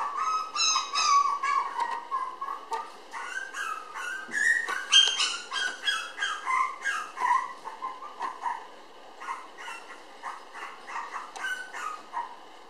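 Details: Red female Toy Poodle puppy born May 20, filmed June 30 weighing 700 g, lively; a long run of high, thin whimpers and squeaks, rising and falling in quick succession, with a few sharp clicks between.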